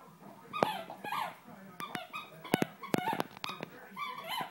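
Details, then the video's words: Young female Great Dane puppy, 8 or 9 weeks old, whimpering softly indoors with a few low bends of voice, among sharp clicking taps and knocks. "great dane puppy"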